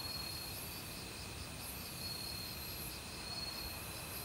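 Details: Autumn cricket chorus in a forest by a flowing stream: a quick train of high pulsed chirps over a steady shrill tone, with the wash of water loud underneath.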